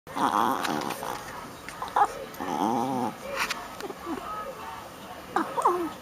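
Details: Female Shih Tzu puppy playing rough, giving a string of short, wavering whiny grunts and yips, some rising and falling in pitch, separated by brief pauses, with small clicks and rustles of play in between.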